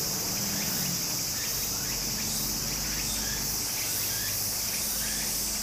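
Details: Cicadas by a stream in Japan during summer, their shrill buzz steady and unbroken, with brief upward-sweeping chirps repeating about every quarter second and low murmuring water beneath.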